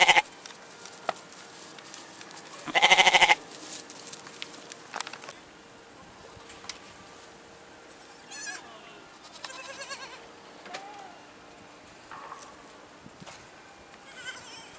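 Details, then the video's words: Goat giving one loud, quavering bleat near the start, followed by a long stretch of faint scattered background sounds and soft distant noises. "Goat | Con Dê | 염소 | Ziege"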